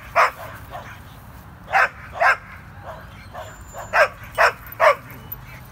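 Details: Two dogs playing indoors, a Corgi named Nessi and a Chihuahua mix named Miles: short sharp barks in bursts, a pair and then a quick triple, with quiet gaps between and faint room noise.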